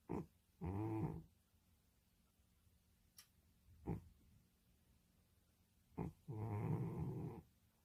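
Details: Domestic cat asleep and snoring: a short snort, then a rough, low snore lasting about half a second, a pause with small clicks, and another longer rattling snore near the end.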